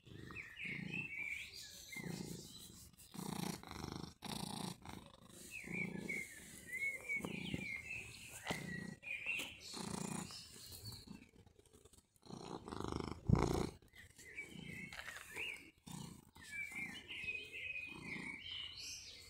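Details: Mjaullo, a cat met again in summer after a year apart, purring in steady low rumbling pulses roughly every second, with high bird chirps and twitters scattered throughout.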